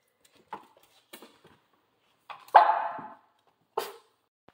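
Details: Central Asian Shepherd, a female, in training with a vacuum cleaner indoors in a small room; short barks and yelps, one louder drawn-out bark near the middle, with a woman speaking encouragement before and after.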